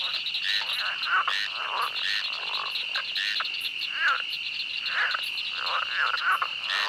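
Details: Frogs in a swamp giving harsh, slightly rising croaks at irregular intervals, several callers overlapping beneath a steady whine of chirping insects.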